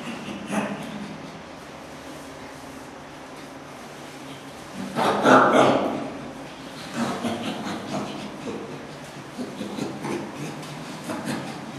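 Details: Two chimpanzees playing at a zoo give occasional laughs, breathy hoarse panting bursts; recorded May 2016.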